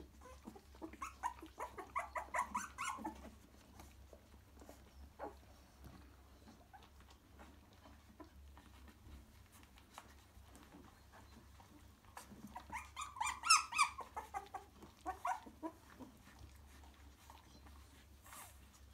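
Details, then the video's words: Three-week-old cockapoo puppies in a nest, crawling to their mother and settling: two bursts of high squeaky whimpers and little yelps, early and again near the end, separated by a quiet stretch with a low steady hum. "3 week old cockapoo puppies with live sound"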